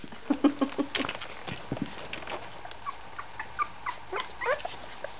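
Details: Golden Retriever puppies, a litter of seven males and one female at 18 days old with eyes and ears newly open, toddle around giving soft, high whimpers and squeaks in brief, scattered bursts.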